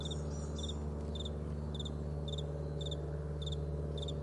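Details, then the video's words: Morning chirping of crickets on a vast meadow, bright twin pulses repeating at a quick even pace above a constant low hum. "Morning Crickets"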